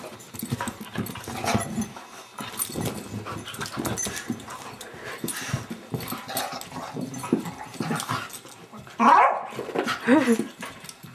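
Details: Abigail, a foster beagle, indoors in a small room: steady snuffling and shuffling for most of the stretch, then two short, high, wavering whines close together near the end, with faint human speech in the background.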